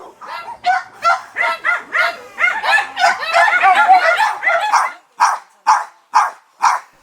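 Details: At a noisy dog shelter in Paju, South Korea, housing a female Jindo mix of about one year, several dogs bark loudly at once, said to mean they want to get closer to people. Then one keeps barking in sharp, evenly spaced yaps.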